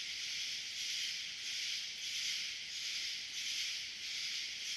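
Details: A dense, high-pitched buzzing of a swarm of cicadas at night in summer, swelling and fading in slow waves.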